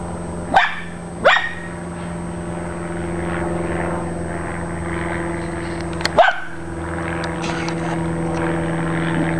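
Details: Dachshunds after a squirrel bark in short bursts: two quick barks at the start, a long pause, then another pair, all over a steady low engine-like hum.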